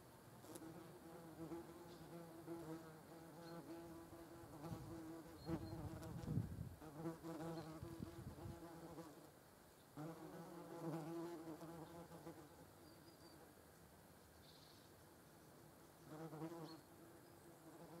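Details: European hornet with German wasps nearby, wingbeat buzzing heard as a deep humming drone rich in harmonics, growing louder in close passes around six seconds and eleven seconds, then fading between flights.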